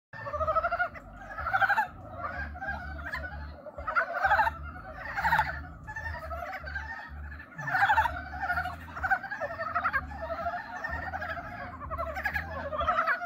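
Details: Frogs giving courtship mating calls: a dense chorus of nasal, pulsed croaks swelling in overlapping bursts about once a second, with an irregular low thumping underneath.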